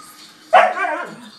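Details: Siberian Husky, a pet dog, complaining while squabbling with another dog over chewy chips: one sharp bark that slides into a short, wavering, whiny tail, with faint television talk and music behind.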